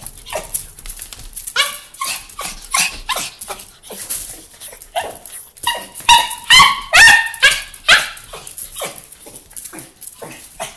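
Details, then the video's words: Excited homecoming greeting from Carlos, a miniature pinscher pet dog: a steady run of sharp, high barks and yelps, some with a clear ringing tone, coming about twice a second, loudest in the middle stretch. "What it feels like to come home to a minpin"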